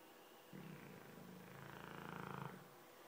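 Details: Dogue de Bordeaux snoring: one long, low, rumbling breath of about two seconds with a fast, buzzy pulsing that grows slightly louder before stopping abruptly.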